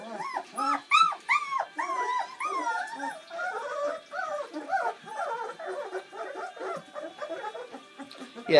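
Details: Bernese Mountain Dog puppies, seven born on Valentine's Day 2013, feeding for the first time on Mothering Sunday: loud, sharply rising squeals open, then fade into a busy tangle of softer overlapping whimpers, with human voices nearby.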